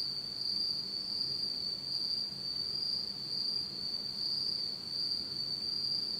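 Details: Insects singing on an autumn night in Japan in complete darkness; a continuous shrill trill holds one high pitch, softly swelling and fading, with a fainter higher harmonic and a low background hum.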